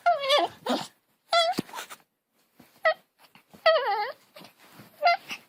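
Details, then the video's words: Domestic dog making weird noises: several short, tonal, wavering whines and yowls with bending pitch, some rising then falling, in bursts about a second apart, with quiet gaps between and no other clear sounds. "Funny Dogs And Puppies Making Weird Noises"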